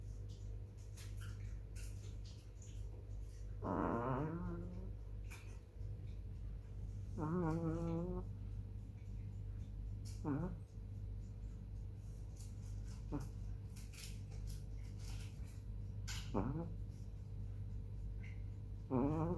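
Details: Snores from a sleeping black female chihuahua on 18 July 2021 at 21:07: squeaky, wavering nasal breaths with whistle-like tones, spaced irregularly three to six seconds apart, above a steady low droning background.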